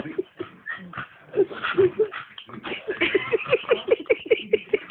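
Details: Staffordshire Bull Terrier whining in short nasal yelps, first scattered among muffled background voices, then settling into an even string of quick whimpers about five per second toward the end.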